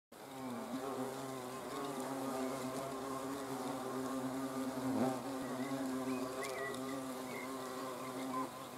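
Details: Hornets observed on 30 June 2020: a steady, deep droning hum with layered harmonic tones, holding constant with a brief swell midway as one flies close.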